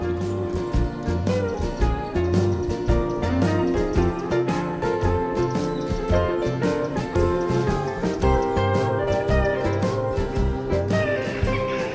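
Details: Steady instrumental music with guitar and a regular beat fills the whole clip, with no animal calls audible.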